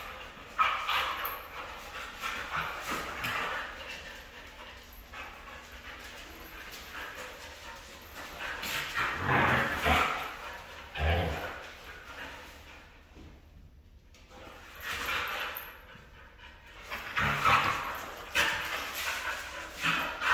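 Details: Red female Siberian Husky vocalising indoors, drawn-out whining moans rising and falling in loud bursts around the tenth and eighteenth seconds, with short yips between quieter stretches.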